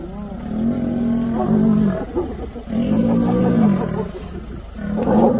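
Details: Lion roaring in a repeated series of deep, drawn-out groaning calls, three strong swells roughly every one and a half seconds, with rough low grunting between them.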